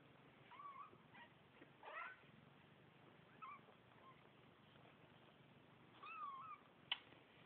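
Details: New kittens giving thin, high, wavering mews, a few short cries scattered over several seconds, some sliding up then down, with a faint click near the end and a soft background hiss.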